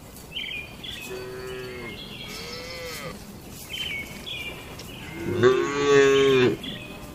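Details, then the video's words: Barn-kept tame cattle going about their daily routine, feeding and gathering: two moderate moos, then a loud, long, strained bellow, with birds chirping throughout. "Moo Suara Sapi Jinak"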